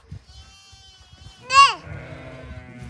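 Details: A baby lamb gives a single loud, quavering bleat that rises and then falls. Quieter tones and light rustling come before it, and a faint hum and low thumps follow.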